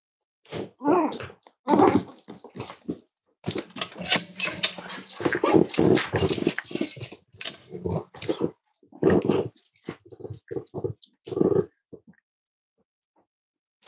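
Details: Cavalier King Charles Spaniel indoors at Red Barn Cavaliers kennel on a chilly Thursday morning, giving a run of short growly yelps and whimpering bursts, dense and uneven, with pauses, in a small room.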